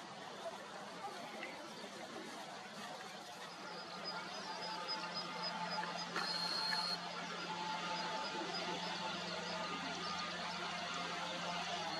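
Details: Steady broadband background noise with a low hum and a brief high electronic-sounding tone, with no clear animal calls.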